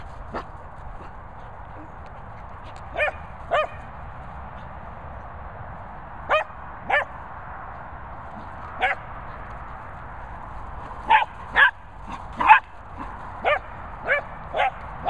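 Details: Dogs playing, a Cockapoo with a Labrador, in Worcestershire countryside: short sharp barks in loose bursts, sparse early then coming faster near the end, over steady background hiss.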